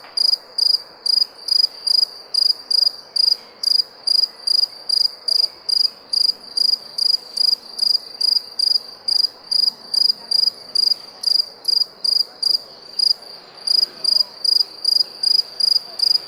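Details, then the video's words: High-pitched cricket chirps repeat in a long, even series, about two and a half per second, trilled and metallic, with only soft background hiss behind them. "Cricket Sound"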